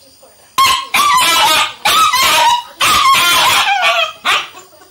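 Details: A 3-month-old Indian German Shepherd puppy gives a run of high, sharp barks in quick bursts.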